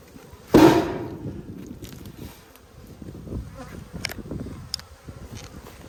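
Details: A strong honey bee colony in Australia, struggling through a February 2022 dearth, drones with a continuous low hum as its hive is inspected. A sharp knock from hive handling sounds near the start, followed by scattered soft clicks.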